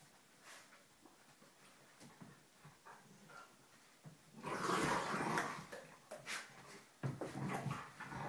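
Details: Two dogs indoors, a smaller black dog and his foster sister, play-growling while wrestling and showing teeth; quiet scuffling at first, then a loud burst of rough growls and snarls midway, followed by shorter growling bursts.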